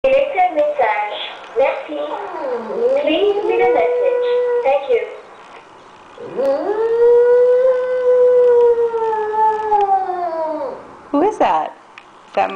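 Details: A Shih Tzu, crying on hearing his owner's voice on an answering machine, gives long, wavering howls that dip, then rise and hold steady before fading, between recorded speech.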